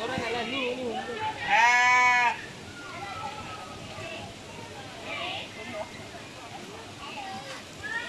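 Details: A goat gives one loud, wavering bleat while defecating, as people talk quietly nearby.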